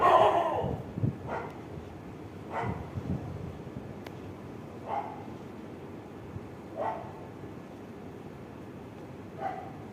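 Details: A gang of street dogs barking at night: single rough, mid-pitched barks sound roughly every two seconds over a steady background hiss, one louder bark opening the sequence.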